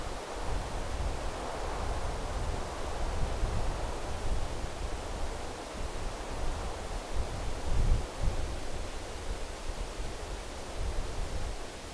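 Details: Steady broadband rumble of wind or surf-like noise with rustling, no clear animal call standing out.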